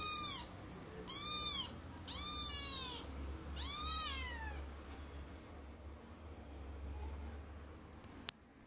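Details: Kitten attempting to clamber up onto a bed lets out four clear, arched meows about a second apart, each bending up then down, followed by quiet room hum and a single sharp click.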